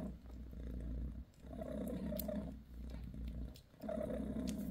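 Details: Bassy, a mother cat with her kittens, purrs while giving them a massage: a steady low rumbling purr broken by short pauses for breath about every 1.3 seconds, with faint rustling.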